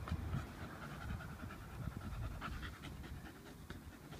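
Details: Staffordshire Bull Terrier, a muscular dog, panting hard while waiting for a ball game; quick rhythmic huffing breaths throughout, over low background rumble, after its owner repeatedly asks it to give up the ball.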